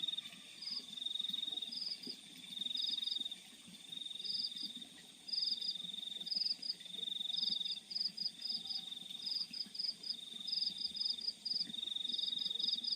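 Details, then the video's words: Crickets calling in night fields: a high continuous trill with brief bursts of pulsed chirps recurring every second or two, loudness rising and dropping in waves, over a low background murmur. "The Sound of Crickets in the Fields at Night"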